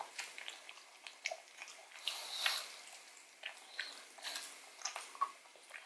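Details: Pug Odin working at a marrow bone in a small room: steady, light clicking and crunching chews, several per second, with a louder grinding bite near the middle.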